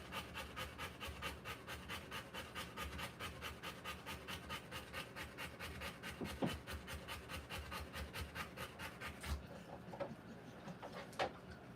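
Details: A Rottweiler in labour, giving birth to puppies, pants in quick, breathy rasps at a steady pace for about nine seconds, then falls nearly quiet with only a few faint sounds.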